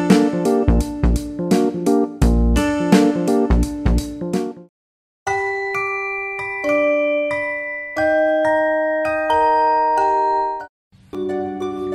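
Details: Bright glockenspiel and mallet-percussion music plays in rhythmic bursts, with short silent gaps and no animal sounds.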